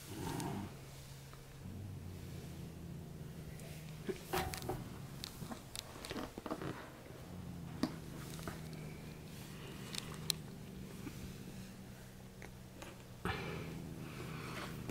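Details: A black female cat gives a low, rumbling growl with steady harmonic bands, broken by brief clicks and rustles, showing disgust towards kittens along with a sour sideways glance.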